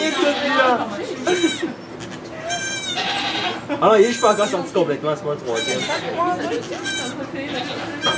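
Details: Goats in a sugar shack in Quebec, Canada, during the birth of two kids, filmed on an iPod Touch: several high, wavering bleats rich in overtones break through steady French conversation and voices close by.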